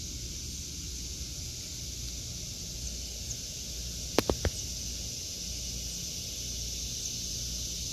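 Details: Cicadas singing in an August 2023 vegetable garden: a steady, high, hissing drone runs throughout under a low rumble, broken by a few sharp clicks near the middle.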